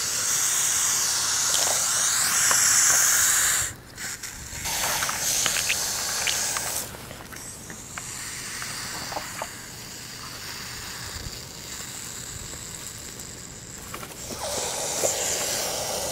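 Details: Baby hognose snake hissing in defence before feigning death: a loud breathy hiss for nearly four seconds, then quieter intermittent puffs, clicks and rustling handling sounds.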